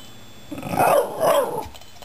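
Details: Shiba Inu Patrick addressing two cats his family rescued two months ago: one brief two-part, wavering moan rising and falling over roughly a second, indoors with a faint steady hum behind.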